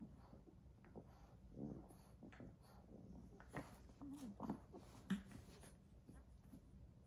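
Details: A 10-week-old English Bulldog puppy, playing mad at a toy, gives low, rough, stuttering growls, with soft knocks and clicks around it.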